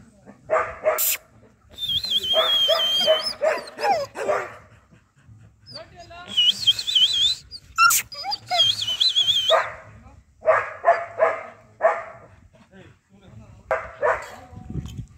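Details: Semi-adult Doberman in Bangalore, India, giving rapid runs of sharp barks alternating with high, wavering whines, the bursts separated by short quiet gaps.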